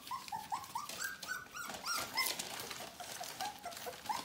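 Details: Four-week-old Bohemian Shepherd puppies from the "F" litter, a quick run of piping, slightly wavering whimpers indoors, one after another, amid soft shuffling.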